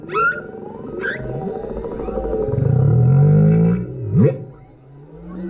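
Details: Humpback whale, a male, singing underneath a kayak, captured on a GoPro: brief high squeals, then a long low groaning moan swelling and fading, a sharp upswept whoop near the end.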